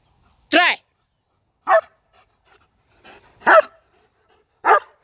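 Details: German Shepherd named Zeus, a trained dog performing tricks on spoken command: four loud, sharp barks with rich harmonics, spaced roughly a second apart, separated by near silence, with a faint handler's voice in between.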